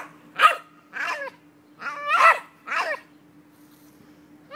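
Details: A Jack Russell Terrier, on spotting a squirrel, gives a series of sharp, excited yelping barks, each with a wavering, whiny edge.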